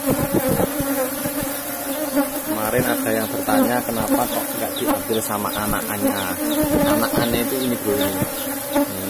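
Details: Buzzing of a cultivated Asian honey bee colony, Apis cerana, kept in a box hive as honey is taken; an even droning hum runs underneath while wavering voice-like tones and clatter come and go on top.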